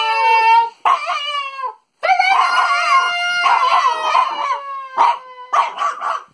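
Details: French Bulldog singing, a drawn-out howl of sliding, wavering tones, breaking into several long phrases with short gaps, some rising and falling, ending in short yodelling bursts.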